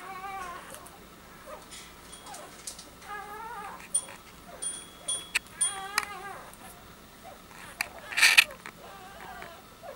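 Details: Newborn Soft-coated Wheaten Terrier puppies in a new litter, squeaking and whimpering in short high harmonic cries scattered through the clip, with faint chime-like tones and a soft voice in the background.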